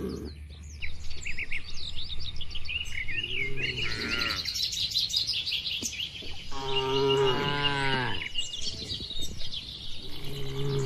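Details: Tame cattle roaming in open pasture: a brief low moo, then a longer, strongly harmonic bellow near the middle and a shorter one at the end, set against a steady chorus of high twittering birds and low wind rumble.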